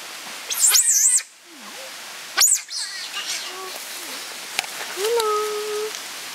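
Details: Captive giant otters, a family of six including two cubs born at the centre, Chapel-en-le-Frith, 25 June 2011: two loud, high, wavering squeals with rich overtones, then quieter human voices and short low tonal sounds.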